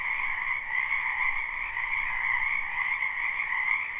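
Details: Dense chorus of frogs croaking in a spring wetland behind a house, live and unlooped: a steady, unbroken wall of trilling in two high bands with a fainter lower one, no single caller standing out.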